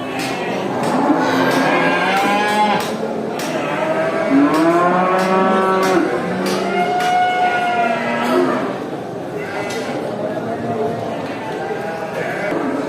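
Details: Farm cows in a large herd being driven back to the barn by the farmer after grazing in a village; many overlapping drawn-out moos with rich harmonics, some rising and falling, sounding continuously from several animals at once.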